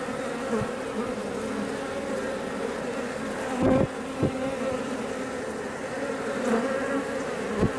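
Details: Iberian honey bee colony building comb at a Langstroth hive near Roquetes in south Tarragona, Spain; loud steady humming drone with pitched bands, swelling briefly as single bees fly close past.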